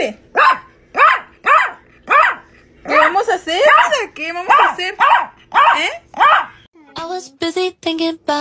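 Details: Chihuahua barking in short, harmonic bursts repeated about every half second, then harsher, longer yowling barks with wavering pitch, ending in a quick run of sharp, high yips.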